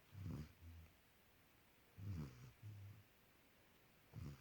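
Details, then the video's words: Sleeping puppy snoring loudly, a male that likes to cuddle; deep, low rasping snores come in short bursts about every two seconds, with quiet pauses between them. "Puppy snores loud"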